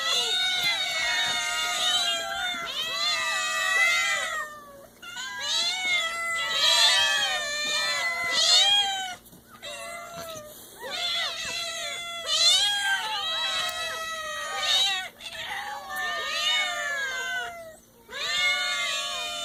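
Several kittens meow repeatedly in high, thin, rising-then-falling mews, often overlapping.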